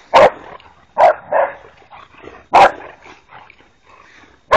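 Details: Boxer dogs, three of them, playing wildly: loud, sharp barks come in separate bursts, each followed by softer grumbling growls and huffs, with quieter scuffling noises between the barks.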